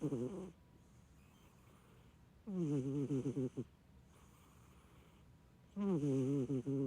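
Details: Short-legged Munchkin cat fast asleep, letting out snores as heavy as a middle-aged man's: three low, rasping, wavering bursts separated by quiet pauses of about two seconds, a faint hiss between them.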